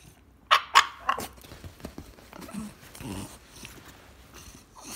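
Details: Indoor French Bulldog demanding to go for his morning walk: three short, sharp yelping barks in quick succession at the start, followed by softer low grumbles and snuffling.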